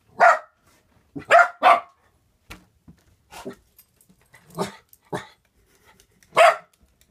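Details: Dogs, a Norwegian Elkhound and a German Spitz Mittel, barking indoors at balloons; sharp single barks in irregular bursts, several close together, then scattered softer ones and a final loud bark.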